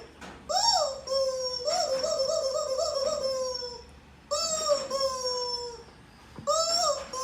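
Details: Siberian Husky annoyed by a new toy, giving three drawn-out howls that swoop up then slowly sag lower. A steady high squeaky tone runs alongside, with short pauses between the bursts.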